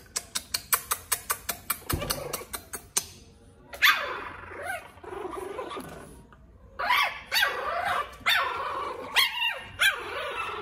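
An angry pug puppy growls with wavering, high-pitched snarls and small yips after a run of sharp clicks.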